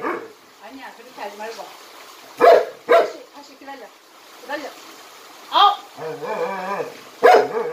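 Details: Jindo County trick dog Jinmyeong, a Jindo that jumps rope, gives a few scattered loud barks mixed with higher tonal whining sounds and a Korean-speaking human voice in the background.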